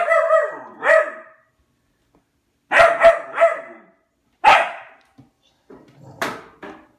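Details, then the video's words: Albert, a pet dog, barks at his food bowl wanting food: a few sharp, harmonic barks with falling whine-like tails, separated by short pauses, indoors and otherwise quiet. "Albert barking at his food bowl."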